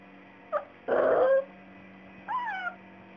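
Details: Labrador Retriever puppy stuck on a bed, upset that he cannot get off; a short whimper, then a louder breathy yelp, then a rising-falling whine, over a steady electrical hum.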